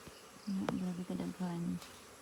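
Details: Honey bee buzzing close by: a low, steady droning hum with stacked overtones, heard in short bursts of under half a second with brief breaks, plus one sharp click partway through.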